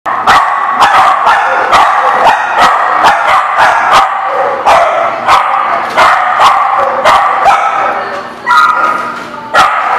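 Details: Dogs barking in a dense, continuous chorus of sharp, overlapping barks, with sudden loud barks breaking through every second or so.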